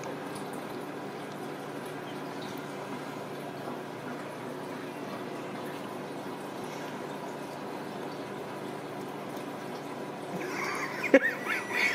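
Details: Steady rushing of filling or bubbling water indoors, ending with a few sharp clicks and knocks.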